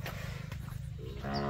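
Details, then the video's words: A big Khmer bull lets out a deep, low, droning moo that fills the whole brief stretch, steady and buzzy, swelling slightly louder toward the end. "The big bull Cow khmer"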